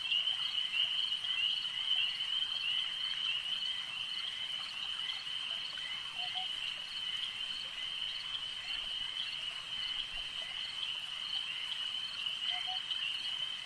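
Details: Chorus of frogs at a lake: a thick, continuous high-pitched trilling made of countless fast pulses, steady in loudness, with two short lower double chirps heard midway and near the end.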